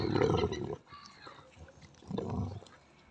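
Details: Female Belgian Malinois defending her stick with aggressive growling: two rough, rumbling growl bursts under a second each, separated by a quieter gap with faint breathy sounds.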